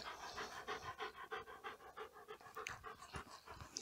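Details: Police dog, a German Shepherd K-9 working through obedience training, pants rapidly and rhythmically at roughly three breaths per second, the breathy bursts steady and unbroken throughout.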